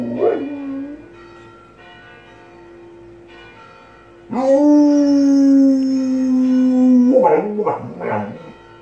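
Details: Dog belting out howls along with church bells ringing next door: bell tones hum steadily, then a long level sustained howl of about three seconds, breaking into quick wavering, rising-and-falling howl notes.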